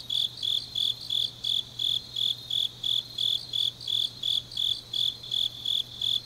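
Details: Grass insects singing on a deep autumn night in Changnyeong, South Gyeongsang, Korea: high, shrill chirps repeated about three times a second in a steady pulse, with a fainter, faster trill layered above and a low, steady hum underneath.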